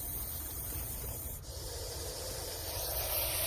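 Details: An angry snake, coiled in full attack position and refusing to leave, hisses with a steady, breathy rush likened to a pressure-cooker whistle, running almost unbroken over low outdoor rumble.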